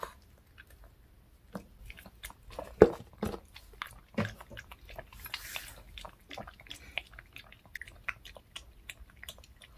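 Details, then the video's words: Close, clear eating by a pet dog working through a fish-shaped bun treat indoors: loud separate crunches and lip smacks in uneven bursts, with short quiet gaps between bites. "강아지 먹방 ASMR 붕어빵 fish shaped bun mukbang eating show"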